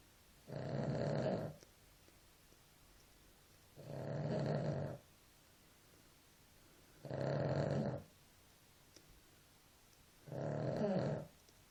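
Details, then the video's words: A dog snores in its sleep with four steady, rough snores, each about a second long. They come roughly every three seconds, with near silence between them. "Perro roncando"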